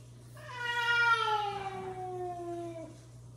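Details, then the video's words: Male cat scolding a female cat indoors; one drawn-out harmonic yowl lasting over two seconds, rising in loudness then slowly sliding downward in pitch before stopping, over a low steady hum. "Dad cat decided to scold mom cat"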